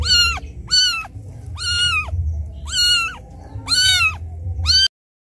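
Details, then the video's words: Crying kitten calling for its mother, left behind by the mother cat; loud, harmonic mews arching up then dropping, about six in quick succession, roughly one per second, with low rumbling noise underneath. "Suara anak kucing menangis memanggil ibunya"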